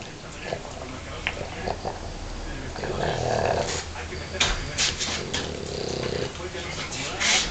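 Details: An English Bulldog sleeping snores in rough, rasping breaths, with a person speaking briefly at the start.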